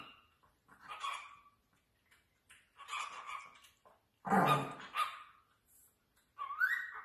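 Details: Chihuahua puppies yapping indoors: scattered thin high barks, one louder harsh bark near the middle, and a rising whine at the close.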